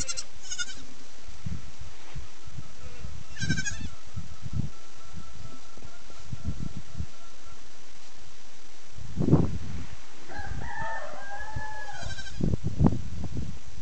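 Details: Baby fainting goats on their first day outside run and jump as their mothers try to keep track of them, bleating in short, wavering bursts over steady low rumbling and handling noise.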